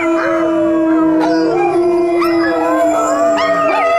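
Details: Overlapping dog howls: a steady, long-held low tone carries on while other dogs add sharp upward-swooping cries and wobbling higher notes every second or so.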